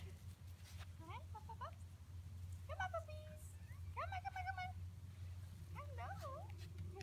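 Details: Schnauzer puppies, seven weeks old, home after their vet check, in which two males were neutered, whimper in four bursts of bent, rising and falling whines spaced about a second apart, with a person calling them and a constant low hum.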